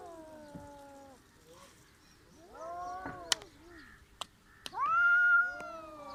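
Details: Village cats trying to fight, trading tense wavering meows and yowls: a falling wail, a burst of short rising cries, sharp clicks, then a loud sustained howl near the end.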